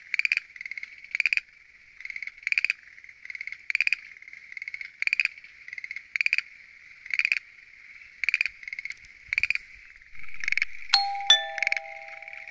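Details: Schlegel's green tree frogs calling at night from a lotus pond in Japan, where five frog species were found. Short rattling pulsed bursts repeat about every second over a steady high trilling background, with a bright chime near the end.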